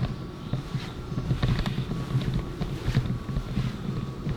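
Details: Low rumbling engine or wind noise with a few soft clicks, and no animal voice anywhere.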